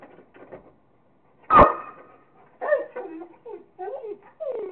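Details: Kingston, a Rottweiler, playing with a squirrel: one loud, sharp bark early on, followed by a series of shorter whining, voice-like sounds, possibly with human voices mixed in.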